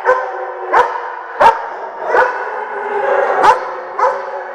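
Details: Day-care dogs at Central Bark in Oswego, Illinois, during a January 3, 2012 siren test: a chorus of drawn-out tonal howls beneath short, sharp barks spaced less than a second apart.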